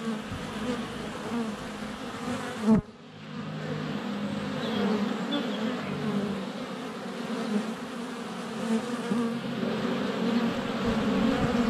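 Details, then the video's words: Close recording of a swarm of honey bees in flight at a hive entrance on a sunny February day, GoPro Hero 7 Black under a foot away; a sharp knock near the start, likely a bee landing on the camera, then a steady rising hum. "Honey Bees - ambient video and audio"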